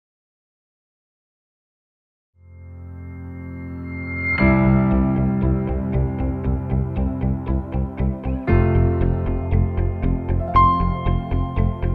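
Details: Near-silence for two seconds, then a low droning tone builds into steady repeated plucked and chiming notes with a sustained bass, purely instrumental music with no animal sounds.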